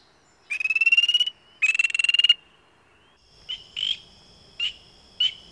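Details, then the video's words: Frogs calling: two rattling pulsed trills under a second each, rising slightly in pitch, followed by several short nasal notes over a faint high steady tone. "Frog sounds"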